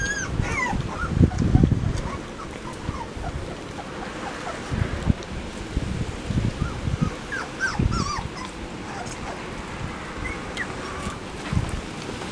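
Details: Puppies in a newly puppy-proofed run, watched by their parents Max and Whitney, 10 September 2015; thin high squeaky whimpers and short yips come in scattered bursts over heavy low thumping and rustling from movement nearby.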